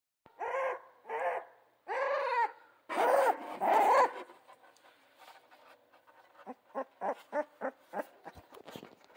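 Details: Central Asian Shepherd puppies giving several drawn-out, wavering whines and yelps in the first four seconds, then a quick run of short, sharp yips repeated about twice a second near the end.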